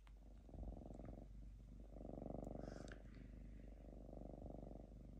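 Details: Lynx purring while calm and falling asleep in a home, a deep rhythmic rumble swelling and easing in waves, roughly four pulses a second, with light rustling above.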